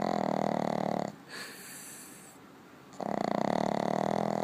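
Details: Maggie the dog in loud snoring sleep: two long, rasping, droning snores of over a second each, with a quiet gap of almost two seconds between them.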